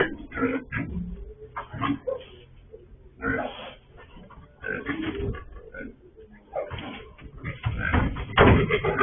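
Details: Sow that has escaped again, picked up by a farm surveillance camera: irregular bursts of rough, noisy grunting, about two a second at times, with quieter gaps and a loud cluster near the end.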